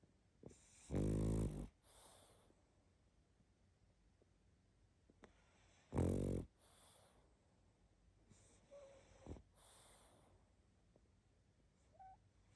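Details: Pug asleep and snoring heavily, with two loud, buzzy, rattling snores about five seconds apart, each trailed by a softer hissing exhale, plus a fainter wheezy breath between them in a quiet room.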